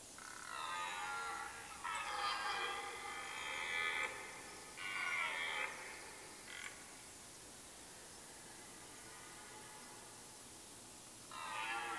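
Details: Red deer in rut in Mecklenburg-Vorpommern forest, Germany, at the end of September: a run of harmonic bellowing roars, three longer calls and a short clipped one in quick succession, then a quiet gap before another begins.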